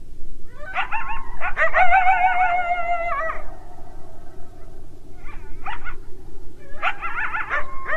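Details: Coyote calling with bursts of quick, high yips that run into a long quavering howl, then more clusters of short yelping notes after a brief pause, with a constant low rumble underneath.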